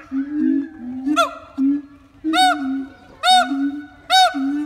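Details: Siamangs at Taronga Western Plains Zoo sing with low, droning booms broken by loud, ringing whoops that arch up and down.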